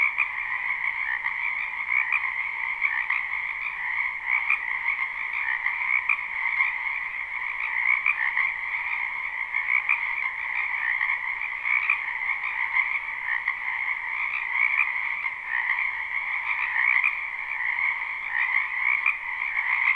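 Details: Croaking frogs massed in a wetland during spring, a live recording: constant layered trilling chorus with fast flickering pulses across two pitch bands, even and unbroken for the whole stretch, nothing else audible.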